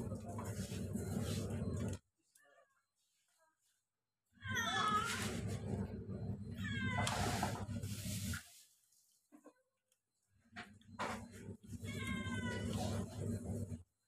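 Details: Two kittens eating together, high wavering mews in short bursts over a steady low hum, with pauses of near silence between the bouts of calling.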